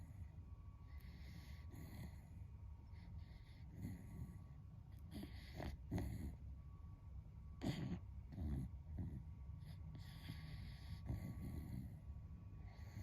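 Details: Beagle, a friend's dog, sleeping and snoring loudly like a person: low, rough breathing with short snorts and sharper nasal bursts near the middle, indoors and otherwise quiet.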